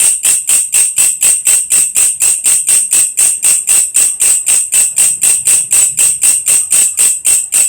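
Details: Grasshopper known locally as belalang kecek or walang kerik, kept as song master for lovebirds: a steady train of harsh, jingling rasps, roughly four per second, unbroken and evenly spaced throughout.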